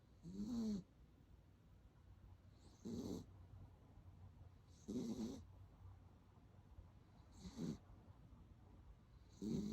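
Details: Dachshund snoring while asleep after a walk; slow, rhythmic raspy rumbles about every two and a half seconds, each carrying a faint hissy whistle, with quiet breathing gaps between them.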